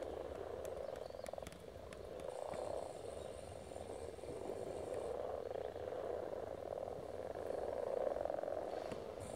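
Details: Many frogs calling together while spawning at Silton Forest, a steady rolling mass of low croaks that grows louder toward the end, with brief high bird chirps and clicks early on.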